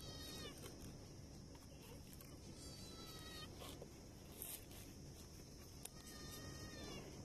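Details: Stray cats, a mother and her kitten trying to survive in the street, give three drawn-out, tonal meows at the start, middle and end. A steady hiss of background noise runs throughout.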